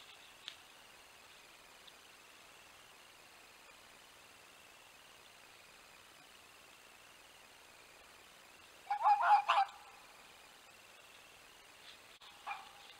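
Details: A wild dog fox calls to its mate, the vixen, at the den. After a long hush comes a quick burst of four or five sharp, yapping barks, then one faint call near the end.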